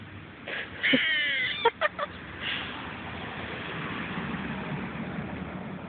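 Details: A squirrel gives a nasal, wavering squeal followed by a few short, sharp chucks, apparently barking at a passer-by; the noises were unfamiliar, and the person wondered if it was hurt.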